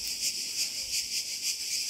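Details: A chorus of cicadas clinging under leaves on Kefalonia, Greece, makes a dense, shrill, unbroken buzz that throbs louder and softer roughly three times a second, with no other clear sounds.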